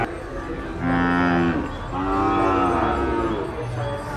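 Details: Bulls at El Tiangue livestock market in Nueva Guadalupe, El Salvador, giving two drawn-out, harmonic moos, the first short and steady, the second longer with a gently rising then falling pitch, over a steady low market din.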